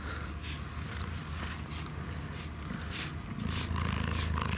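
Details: A captive cheetah (Acinonyx jubatus) in a South African winter enclosure at night purrs in a steady, deep, rumbling throb while grooming a human keeper, with wet rasping licks; it is said not to purr when grooming other cheetahs.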